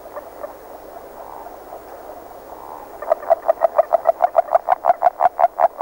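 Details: Agile frog singing early in the year: after about three seconds of a faint murmuring chorus, a quick series of around fifteen short, sharp clucks begins. The notes grow louder and closer together toward the end.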